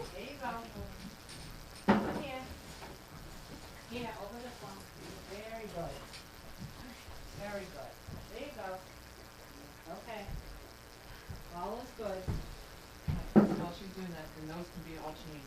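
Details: Several dogs at gruel feeding time in a kitchen, indoors: overlapping high, arching whines and squeals rise and fall in clusters, with a sharp louder yelp near two seconds and another near thirteen, over a woman talking and liquid sounds.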